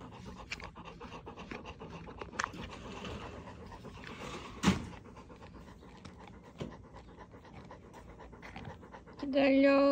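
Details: After its bath and before a walk, a young retriever plays and pants quickly and evenly throughout, with a sharp knock midway and a steady musical tone entering at the close.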